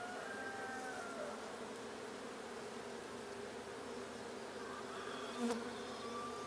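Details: Honey bee colony in a blue hive, inspected 6/20/22: an unbroken buzzing hum with a faint tonal call at the start and a single sharp knock near the end.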